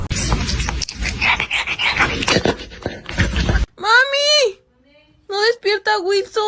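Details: Kittens meowing and crying: several seconds of voices and rough indoor clatter, then one loud, drawn-out meow that rises and falls, followed after a pause by a quick run of shorter, lower meows.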